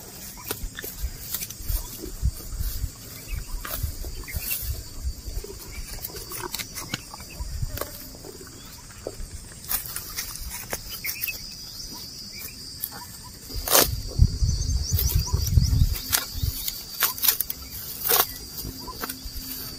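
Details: Cows and bulls walking while eating grass: repeated crisp tearing and crunching bites at an irregular pace, with low thuds and rustling that swell near the end, over a steady high insect drone outdoors.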